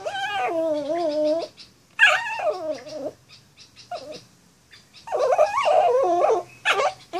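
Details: Pet dog upset at the sight of a stray cat, giving strange drawn-out wavering whines and yowls that slide downward, in separate bursts with pauses, the last burst rougher and more strained.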